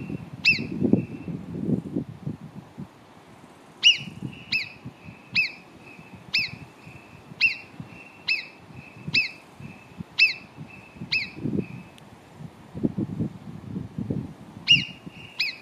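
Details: High, piercing marmot whistles near Cogne, below Arpisson. One opens the recording, then a long series of about nine follows at even, near one-second intervals, with a last one at the end. Low rumbling background noise comes and goes.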